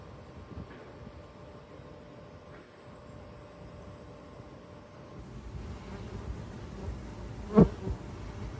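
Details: Honey bees at urban hives in Ontario, 2024: a soft, low continuous hum that grows fuller halfway through, then a sudden loud buzz as a single bee flies close past, before the hum settles again.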